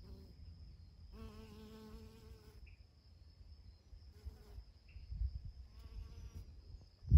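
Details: Honey bees foraging on alsike clover, 8 June 2020: a low droning buzz rich in overtones swells as a bee passes close, then fades and returns briefly, over soft wind rumble, with a loud thump at the end.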